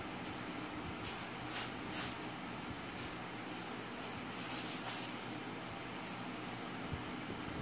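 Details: A steady indoor hum like a fan or air conditioner runs throughout, with a few faint clicks and no animal voice.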